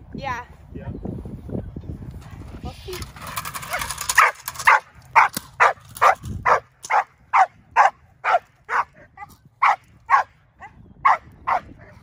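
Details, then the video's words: Six-month-old Belgian Malinois doing bite work in training: a man speaks at first, then a steady run of sharp, loud barks repeated roughly twice per second for about eight seconds. "Indi 6 month old Belgian malinois doing bite work"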